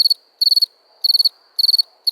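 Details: Four quick cricket chirps, each a tight cluster of four or five high pulses, separated by short silences.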